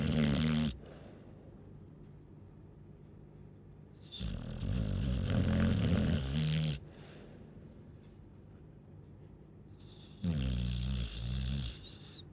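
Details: Chow Chow snoring: long, deep rumbling snores with a fluttering, raspy texture, each lasting a few seconds and separated by quiet breathing pauses of about three seconds.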